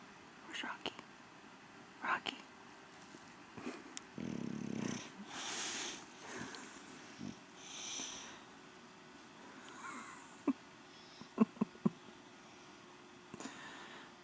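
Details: English Bulldog named Rocky Balboa snoring through his evening siesta: loud, breathy, wheezing rasps in a run of bursts mid-clip. A person calls his name, with sharp clicks and taps near the end.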